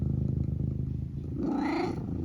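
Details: Pet cat Eric purrs in a low steady rumble, then gives a rising mrrp trill that climbs and fades over half a second at the end.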